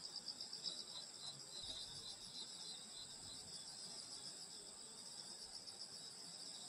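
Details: Summer countryside night with grass insects calling together, a steady layered high trill from many insects, faint soft rumbles low beneath, nothing else distinct.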